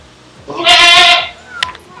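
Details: A goat in Parco Pallavicino park on Lake Maggiore, Stresa, gives a single wavering, nasal bleat lasting under a second.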